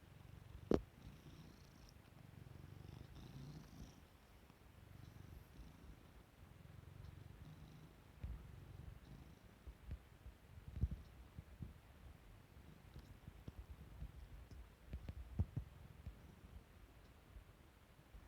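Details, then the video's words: A pet cat waking up and yawning gives a quiet, low purr. The deep rumbling runs in soft pulsing stretches, with occasional sharp clicks and small rustling noises scattered across the clip. "waking up cat"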